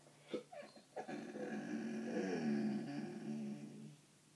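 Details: Dog whining in a long, wavering, nasal tone that swells and holds for about three seconds, preceded by a few short sharp yelps or sniffs, then fades out quietly.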